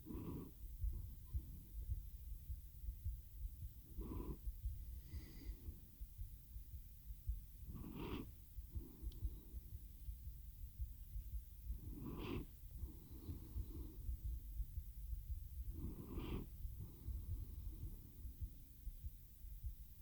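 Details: Low, continuous purr from the cat Teo nodding off beside a RODE NTG-3 microphone into a Zoom H6; the rumble swells with a hoarse breath roughly every four seconds, five breaths in all.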